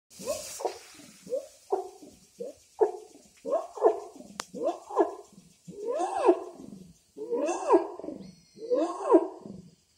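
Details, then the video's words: Wild orangutan call that a local guide says is made to get a female's attention. A series of voiced, rising-and-falling hoots, roughly one every second. They grow louder and longer toward the end. "The voice of orang utan"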